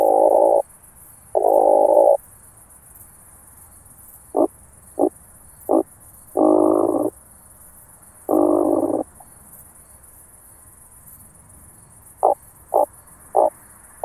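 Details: Oak bush-cricket at Starnberg, Germany, on 18 July 2023, picked up through a Pettersson D 100 ultrasound detector: long rasping bursts alternate with short sharp taps, in irregular groups separated by quiet gaps over a steady hiss.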